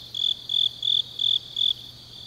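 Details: Autumn grass insects at night in Changnyeong, South Korea, giving five clear high chirps, each about a fifth of a second long, evenly spaced, over a soft background hiss of distant insects.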